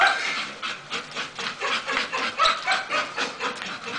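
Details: Masseter Alanis, a female Bull Terrier, panting in quick, rhythmic breathy bursts, about four per second, steady throughout with no other clear sounds.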